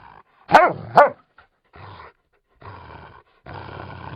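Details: Labrador Retriever captured on a handheld field recorder for sound effects: two sharp, loud barks in quick succession, followed by three longer, low, rumbling growl-like vocalisations separated by short silences.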